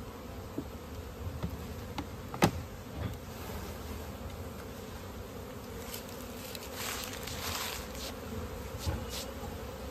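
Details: Steady humming drone of honey bees as honey is collected in a village in India, with a few faint clicks and taps over the continuous buzz.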